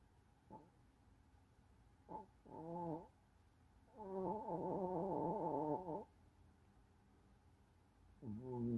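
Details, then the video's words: A dog named Lola snoring: a brief snort, then drawn-out nasal snores with a wavering, buzzy tone, the longest lasting about two seconds, separated by quiet pauses in a calm indoor setting. "Un chien Lola qui ronfle"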